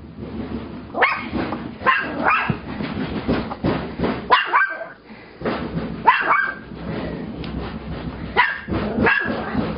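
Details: Chihuahua, a domestic dog in a home, barking reactively at the noise of a washing machine after it broke. Sharp, broad barks come in uneven bursts, roughly eight or nine over ten seconds, over a steady mechanical background rumble.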